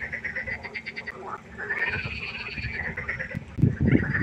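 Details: Frog concert at night by a pond: a rapid train of pulsed, nasal calls ringing over a steady chorus, then a burst of deep, loud, rasping croaks near the end, with other frogs calling throughout.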